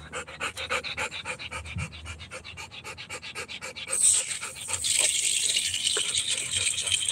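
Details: Rottweiler puppy during playing time, fast, even panting of about three to four breaths per second for four seconds, then a loud rushing hiss, like running water, drowns it out.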